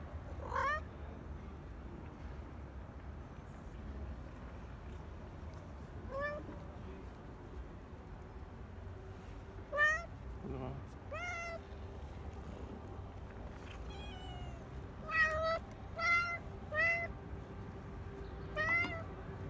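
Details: Stray cats being fed in parks and streets give many short harmonic meows, some rising then falling, scattered through the clip and clustering near the end, over a steady low hum of urban background.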